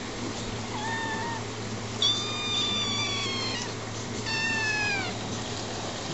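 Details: Eleven-week-old kittens meowing indoors: three thin, high, drawn-out meows, the later ones louder and slightly falling, over a steady hum and background noise.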